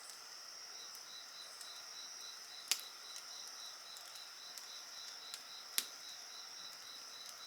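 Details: Shrill continuous insect voices with a rapid pulsed chirp train, heard alongside a bonfire whose loud cracks burst out twice and lighter snaps scatter throughout.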